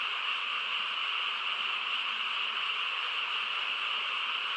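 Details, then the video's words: A frog chorus fills a quiet night in the countryside: a thick, constant mass of high-pitched trilling calls blending into one steady hum, nothing else standing out. "고요한 시골 밤에 개구리 합창 소리"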